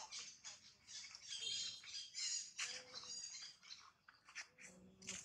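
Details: Monkey sounds near Jane, a pregnant mother monkey: dense bursts of shrill, high-pitched squeaks and chirps pouring out almost without pause, with a few short, thin, level whistles mixed in lower down.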